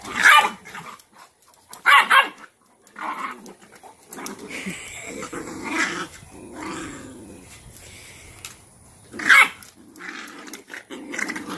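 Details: Cashmere, a Cane Corso mother, corrects her dominant female puppy and pins her into submission posture: sharp barks at intervals mixed with lower, rumbling growls and scuffling, one louder bark near the end.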